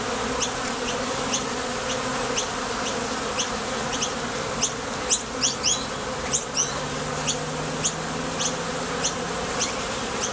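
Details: Buzzing of honey bees leaving and landing at a Top Bar Hive entrance on nectar trips. A thick continuous drone with scattered crisp ticks, briefly clustered midway, and a faint low steady tone appearing in the latter half.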